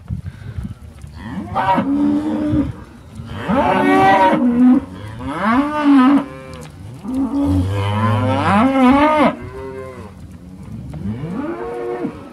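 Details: Cows and calves of Lloyd cattle calling in a herd, a string of rising-and-falling moos of varied length, some higher calf-like bleats among deeper bellows, with pauses between bursts.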